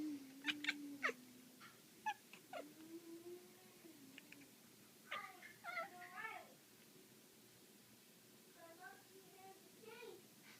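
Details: Black female house cat playing with a laser indoors: quick chattering chirps and short mews in clusters, interleaved with a low human voice, then a few soft rising trills later.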